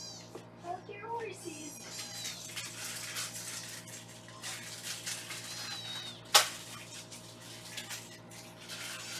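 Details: Foster kittens in Los Angeles during a weighing session give high, wavering meows clustered at the start, some dipping and rising, over continuous soft music and faint room noise.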